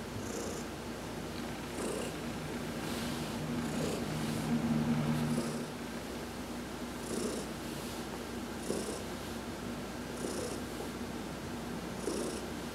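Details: Low, even purring from Heidi, an adopted house cat, enjoying a massage in the sun on November 19, 2020, the rumble rising and falling with her breathing, with faint hissy brushing sounds above it.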